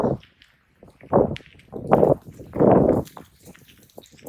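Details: Raccoon dogs, a pair squaring off in earnest combat with lowered, braced stances, let out three loud, throaty snarling bursts in quick succession, with scuffling and faint rustles between them.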